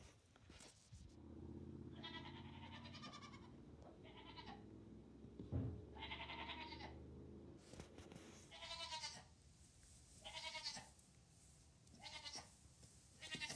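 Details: In a barn where two-day-old Nigerian Dwarf kid Hector has befriended three kittens, a string of about eight bleats follows one another, some wavering and drawn out, over a steady low hum and occasional knocks.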